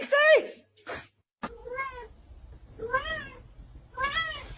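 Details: Domestic cat meowing indoors: four drawn-out, slightly rising-then-falling meows spaced about a second apart, the first loudest and highest, with a short knock and brief silence between the first two.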